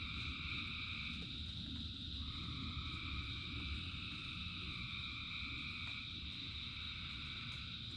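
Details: Frog chorus in rain, thousands of callers blending into a steady high-pitched din, with stronger low rumbling rain and water sounds beneath than elsewhere.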